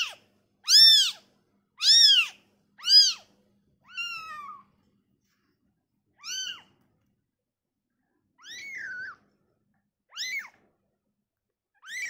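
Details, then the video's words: A newborn kitten, briefly taken from its mother, gives high, thin mews, each rising then falling, repeated every second or so. "suara bayi kucing baru lahir"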